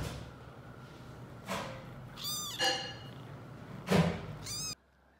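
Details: Seven-week-old domestic kittens, just weaned from the bottle, at their last bottle feeding: three or four short, high, arched meows over about three seconds, some rising then falling, among soft rustling and a thump.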